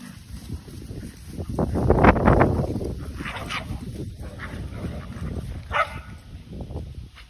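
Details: Kumo the Keeshond and Sully the Boston Terrier romp together in a huge yard; a rough, noisy play vocalization swells around the two-second mark, then fades into quieter snorts and scuffling.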